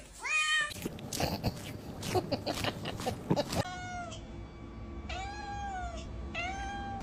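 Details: A white domestic cat meowing indoors: a short rising meow at the start, then three drawn-out, steady, tonal meows in the second half, with people talking and background noise earlier on.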